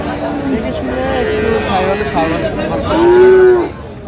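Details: Sahiwal bull calf at a busy Saturday cattle market in Bangladesh, 9 August 2025; men talking at first, then a short loud rising-and-falling moo near the end.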